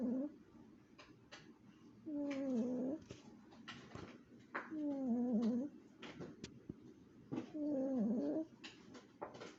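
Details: Chihuahua snoring in its sleep, each breath a wobbly, whistled tone of nearly a second, repeating regularly about every three seconds, with quiet clicks and rustles in a small room.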